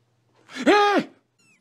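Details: Domestic cat uttering a single short meow that rises and then falls in an arched tone, lasting under a second, in an otherwise quiet room.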